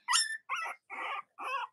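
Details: Cavalier King Charles Spaniel puppy, one of Robin and Myra's litters, indoors on a cool Monday morning: four short, evenly spaced yelps, the first shrill and bright, the rest lower and rougher, each about a third of a second.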